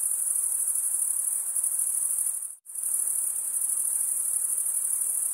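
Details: Male crickets chirping by stridulation, a shrill unbroken pulsing trill that cuts out abruptly for a split second midway, then resumes at the same level.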